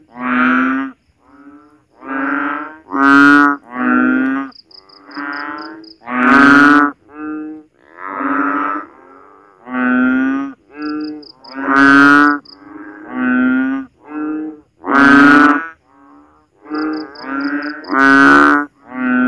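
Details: Frogs calling at night after heavy rain during the rainy season in the Philippines, from a backyard where rainwater pools in swales and ditches. Loud, nasal, bleating calls repeat about every second in a continuous, insistent series.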